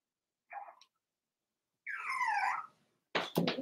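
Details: Cavalier King Charles Spaniel puppies, four weeks old, in an indoor pen: a brief squeak, then a drawn-out whine that rises and falls, followed by sharp knocks or thumps.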